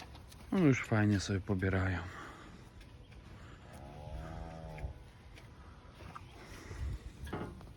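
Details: Weaned Limousin calves, newly moved into a pen with access under a shed and fed TMR since the day before: one steady, low, drawn-out moo lasting about a second, following a short burst of human speech, with faint rustling afterwards.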